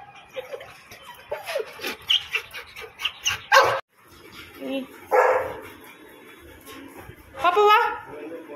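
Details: Two Labrador Retrievers, Mani and Maya, meeting for the first time: short harmonic barks and yips come in scattered bursts, some sharp and bright, with people talking in between.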